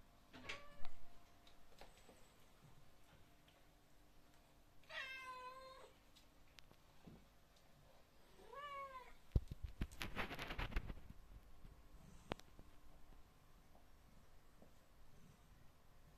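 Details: A British Shorthair cat gives a few drawn-out, harmonic meows, each sliding down at the end, asking for food while another cat waits patiently.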